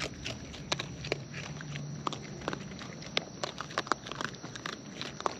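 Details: Close-up chewing of wild raccoons while eating: rapid crisp clicks and crunches repeated several times a second, some louder snaps, over a low steady hum and a faint high whine.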